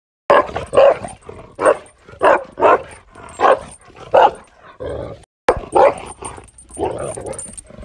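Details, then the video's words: Tibetan Mastiff in India giving deep, loud barks, single and doubled, repeated about every half second to second with a brief pause midway, little else heard. "Tibetan mastiff // world dangerous dog in india"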